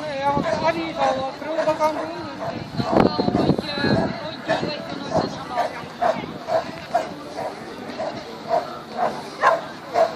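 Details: Excited repeated barking from the Border Collie Xcell during an agility run at the Border Collie Classic 2016, with a burst of loud voices and crowd noise partway through, then steady barks about twice a second.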